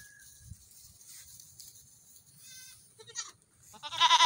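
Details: Baby goats running about in the morning; a short harmonic bleat midway, then a louder, wavering bleat at the end over a quiet background.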